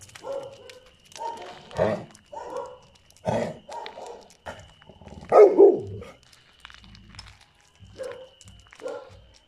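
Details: On a summer night in a garden, a dog barks at other dogs, repeatedly in short, gruff bursts, roughly every second or so.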